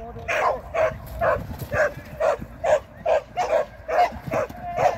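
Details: Shetland Sheepdog named Sian during AKC training on 24 April 2023, barking in a steady rapid series, roughly ten sharp barks in five seconds, with a low rumbling background.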